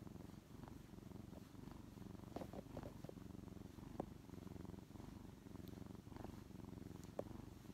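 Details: Contented purring from a brown tabby kitten nestled on a lap, a rescued house cat that still seeks affection as it grows. A steady, pulsing low purr is broken only by occasional faint clicks.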